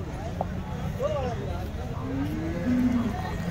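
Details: Cows at the Loni cattle market in Maharashtra, India, on 5 February 2025, animals in their first or second lactation offered for sale; a low, drawn-out moo rises slightly then holds steady near the end, over constant crowd chatter and a traffic rumble.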